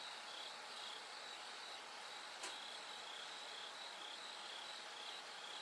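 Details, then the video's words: Bell cricket singing at night as it gradually grows brighter toward dawn: short bright ringing pulses near the same high pitch, repeated in steady bursts over a dense high insect chorus, with one sharp click midway. "bell cricket Cry of falling insects"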